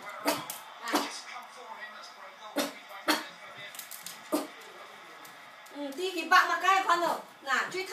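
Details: A five-month-old Westie puppy named Daeny, watching the garden, gives a few sharp isolated barks, then breaks into a drawn-out, wavering howling whine near the end.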